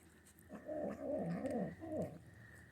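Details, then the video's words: Manx kitten, a female, growling while eating because she is protective of her food: a loud, undulating, throaty growl lasting over a second, then a shorter rising-and-falling grumble. "Manx Kitten Makes Gremlin Noises When Eating"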